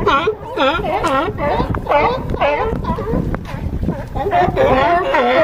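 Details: California sea lions on a harbor dock at Crescent City, California, bark in quick, overlapping honks about twice a second. A few sharp knocks and some light wind noise sit beneath the calls.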